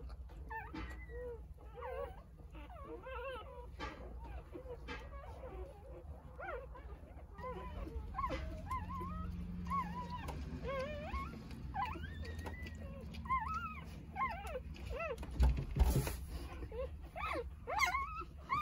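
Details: Newborn Jindo puppies, three days old, among a litter of nine with their mother Sarang. Many faint, thin, arching whimpers overlap in quick, irregular succession over a steady low hum, with a brief louder clatter near the end.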